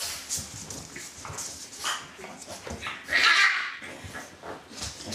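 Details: Litter A from Celtic Mist: soft background shuffling and faint whines, then one louder strained whimper rising briefly in the middle before fading back to quiet rustles.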